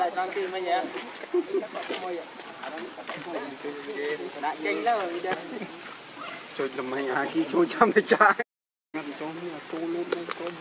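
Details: Baby monkey Lucie, hungry and begging for milk, gives a dense run of wavering, whiny harmonic cries in quick bursts, rising and falling in pitch, with a brief gap near the end.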